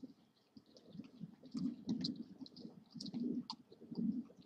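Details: A new group of Iberian wild boar visiting a feeding ground at Pla de Corrals, Valencia, Spain, on 18 July 2014, gives low, rumbling grunts in short bursts, with faint high chirps behind.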